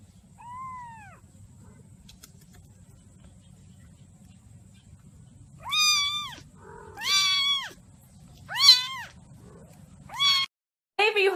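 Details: Domestic cat meowing repeatedly in a quiet room: a soft first meow, then four loud, arched, nasal meows roughly every one and a half seconds, ending with a short cry.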